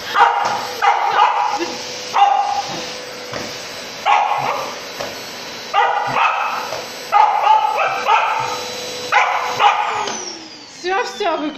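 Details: Samoyed barking at a running vacuum cleaner in a home, repeated bursts of loud harsh barks every one to two seconds over a constant appliance hum, the machine winding down near the end.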